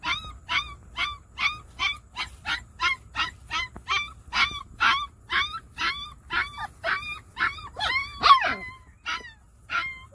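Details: Treeing Walker Coonhound x Great Pyrenees mix dog (Canis familiaris), yips.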